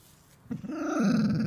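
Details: Border Collie Luna, indoors, protesting vocally when being scratched stops: a low, rising, drawn-out groaning growl that swells and wavers for about a second after a brief rustle.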